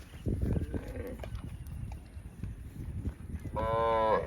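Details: Cow in the fields, a short harmonic moo rising near the end after low rumbling and handling noise.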